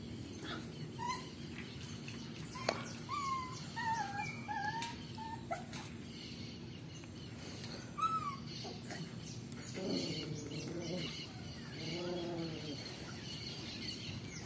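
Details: Melen and Oso, 35-day-old Belgian Shepherd and German Shepherd cross puppies, giving thin high whimpers and yelps early on, then two short harmonic bark-like bursts near the end over steady background hiss.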